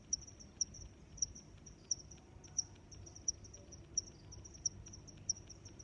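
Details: Cricket calling with regular high-pitched chirps roughly every two thirds of a second, each a crisp tick over a steady faint shrill trill, low background murmur beneath.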